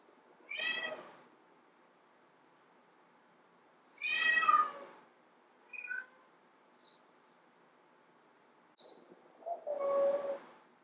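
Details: Domestic she-cat calling to draw in male cats: short sharp meows and a few brief chirps, loud ones near one and four seconds, a softer squeak, then a final drawn-out wavering meow, over faint hiss.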